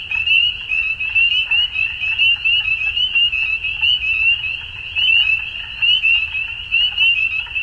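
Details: Frogs calling at dusk in a dense chorus: many high, rapid trilled notes overlapping in a steady band, pulsing in bursts about once a second, with a faint low rumble underneath.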